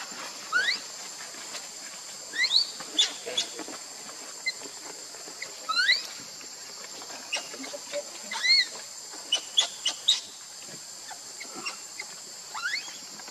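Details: Lucie, a baby monkey angry with mother Luna, gives high, thin squeals and chirping cries in short clustered bursts. Each burst holds quick rising sweeps, with gaps of one to two seconds between them against a quiet background.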